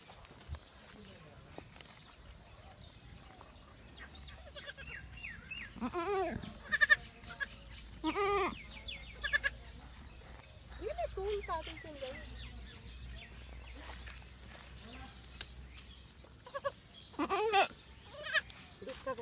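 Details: Baby goats eating grass and playing on a field. Several wavering, quavering bleats come in bursts through the middle of the recording, with a few more near the end. Low human voices talk underneath.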